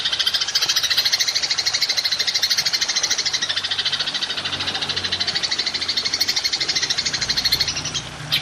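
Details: Golden grasshopper ('belalang emas') used as a songbird training recording: an unbroken, high, shimmering trill of rapid pulses, about three per second, running throughout over a faint low hum.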